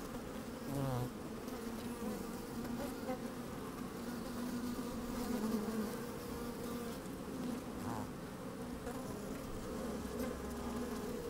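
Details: Worker honey bees in an opened hive, sunny and a bit windy, microphone placed inside the colony: constant low humming hive drone with short louder individual buzzes near one and eight seconds and scattered clicks.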